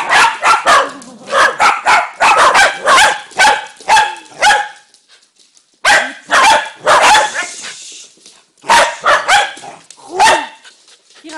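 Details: Dog barking in rapid bursts, harsh broadband barks coming several per second, a pause near the middle, then further volleys of loud barks.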